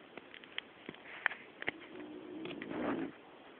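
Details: Sleeping female pet dog named Connie lets out one short, rasping snore with a low droning buzz near the end, after a series of scattered clicks and taps.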